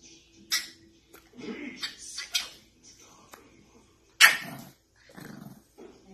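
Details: French bulldog puppy giving short, sharp barks and brief whining yelps in scattered bursts, with human voices talking around it in a quiet indoor setting.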